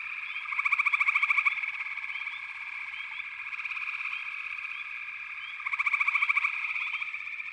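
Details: Chorus of frogs in backwater, a constant buzzing hum of many callers; two prominent rapid pulsed trills stand out, one near the start and one near the end, with soft upslurred chirps scattered between.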